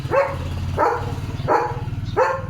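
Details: German Shepherd named Leo, kept as a pet, impatient for a boiled egg being cut up: four short, rising, whiny barks spaced evenly about two-thirds of a second apart over a low steady hum.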